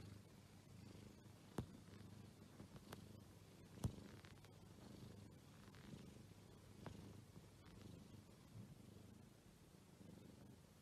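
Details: Quiet, deep purr from an Exotic Shorthair cat, an even low vibration held for about ten seconds, broken only by a few faint clicks.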